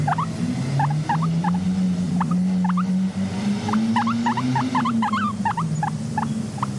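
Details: Guinea pig kept as a content pet, uttering rapid short rising squeaks, singly and in pairs, above a loud steady low drone resembling music.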